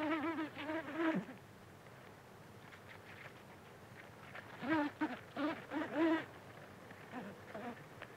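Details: Buff-tailed bumblebee (Bombus terrestris) feeding from flowers, recorded close up: short, wavering droning buzzes that rise and dip in pitch, heard in two clusters separated by a quieter stretch with faint background hiss.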